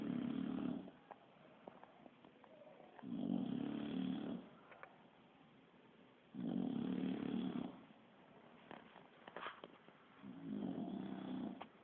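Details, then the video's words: Asleep Bulldog called Kiára snoring steadily: four rumbling, raspy snores roughly three seconds apart, each about a second long, with hushed breathing and light clicks during the pauses. "Bull Dog roncando"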